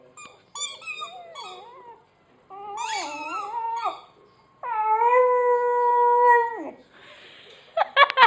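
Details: Dog Sammy chewing on his squeaky hedgehog toy gives wavering, broken whimpers, then a steady, drawn-out howl-like whine lasting about two seconds that drops off at the end, with a brief noisy rustle afterward.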